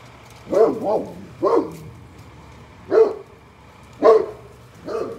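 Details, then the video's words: Great Pyrenees barking loudly at a mail truck: deep, booming barks, about five over five seconds, some doubled, separated by short pauses, with a steady low engine hum underneath. "Great Pyrenees loud barking at the mail truck"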